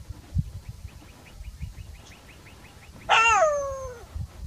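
A jackal gives a loud, wavering wail that slides downward after a run of faint, quick yips.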